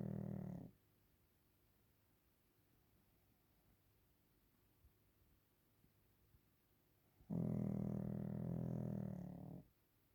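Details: Sleeping Pekingese named Waffle during a nap, one snore ending, then quiet breathing with faint ticks for several seconds before a deep, vibrating snore swells for about two seconds and fades.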